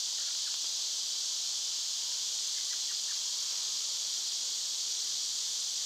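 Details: Summer cicadas in full chorus, an unbroken high, hissing drone that holds steady throughout, with a few faint, brief bird chirps scattered underneath.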